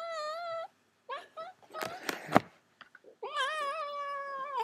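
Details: Greedy pet cat begging for more food indoors: two long, steady, harmonic-rich meows bracket the clip, with short chirpy mews, clatter and brief human voice in between.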